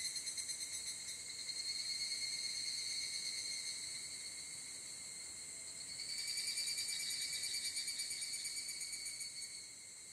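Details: Dusk chorus of higurashi in summer mountains of Japan, a high metallic trill with fast regular pulses, rising in strength around six seconds before easing off at the very end.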